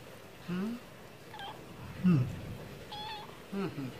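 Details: A stray cat wanting food gives short, softer meows at irregular intervals, some rising and some falling, over quiet background noise while wet food is offered.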